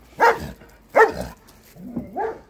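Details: A Swiss Shepherd, barking at an Alaskan Malamute wearing a head-collar, gives two sharp, loud barks, then a softer, throaty grumbling vocalization.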